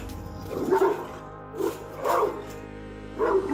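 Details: A Dogue de Bordeaux gives deep, booming barks in short bursts over soft background music.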